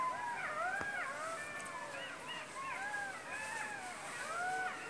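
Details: Golden jackals (Canis aureus) howl together in a chorus of high, wavering wails and yips that rise and fall.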